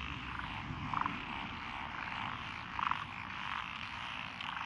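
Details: Lotus rice paddies beside a rural road in Echizen, Fukui, Japan, on June 12, 2021: a soft, continuous frog chorus with two brief louder croaking bursts standing out near one and three seconds.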